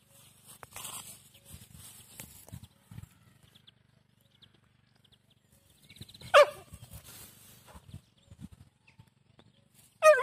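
A Siberian Husky lets out a sharp, high yelp, then after a pause a second call that wavers up and down in pitch. Soft rustling and low background noise fill the gaps between calls.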